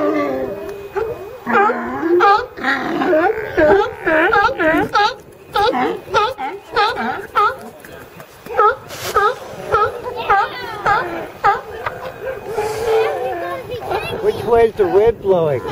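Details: California sea lions in ambient recording: a steady series of throaty, bending barks about every half second, one voice often sliding upward, with other animals calling underneath and a longer wavering moan near the end.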